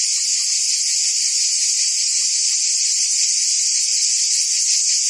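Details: Continuous cicada chorus in trees of a forest, a shrill unbroken buzz filling the upper range, level and unchanging, with a slight grainy throb; no other animals or voices stand out.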